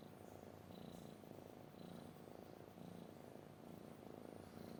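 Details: Cat purring close up, a dense low buzzing rumble in roughly one-second breathing cycles, with faint high chirps in the background.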